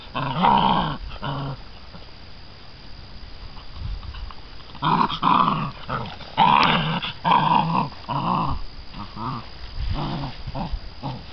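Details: American Bandog Mastiff puppies, six weeks old, growl over a chicken on a string in a prey drive and holding power test; uneven growling bursts separated by quieter stretches, with faint human speech.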